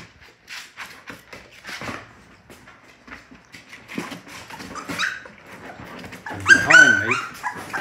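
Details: Six Labrador Retriever puppies just woken in the morning whine in high, wavering cries while a person talks; one puppy is unusually noisy, the group's spokesperson.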